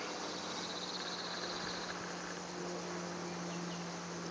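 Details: Cicadas at 8:40 am, 26°C, on 5 July 2013, give a steady, high, hissing buzz that runs without a break, with a low hum underneath; they sing only when warm enough.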